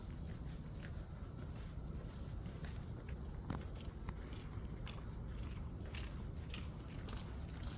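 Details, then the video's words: Grass insects calling, a steady, unbroken high-pitched ringing tone held throughout, with faint irregular ticking and a low background rumble beneath. "풀벌레 소리"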